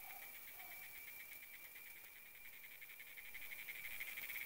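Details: Cicada up in a tree in the Rio Grande Valley, giving a steady, high, whining buzz with rapid pulsing that swells louder toward the end, after a brief human voice.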